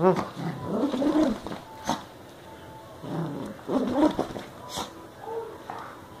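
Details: Ming, a Yorkipoo dog, growling while playing tug-of-war: a run of rough, low, voiced growls over about a second and a half, then shorter grumbling bursts with gaps between them.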